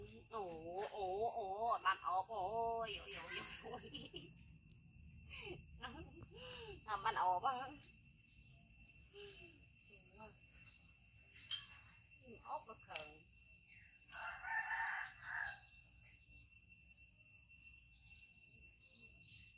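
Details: After a bite from his brother Koko, monkey Yoko gives extreme, loud cries. Long warbling wails with a shaking pitch come in the first seconds, then shorter squeals, with chirping and other noise behind them.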